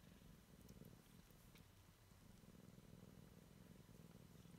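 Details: Young Siamese kitten checking out the world for the first time, giving a continuous low vibrating purr with slight swells in loudness, plus occasional faint ticking handling noises.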